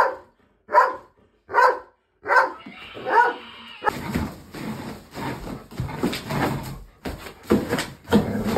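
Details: A female dog barks at a scarecrow Halloween decoration that scared her before mauling it down to the floor; several sharp barks spaced under a second apart, then scuffling and thrashing noise with a person's voice at the end.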